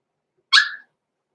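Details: Cavalier King Charles Spaniel puppy, six weeks old, blenheim, indoors in a home pen: a single loud, sharp, high-pitched yelp that drops away quickly.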